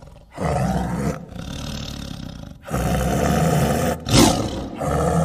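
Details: Tiger roaring in repeated deep, rough bursts, each lasting about a second or more, with short breaks between them and a brief sharper burst near the end.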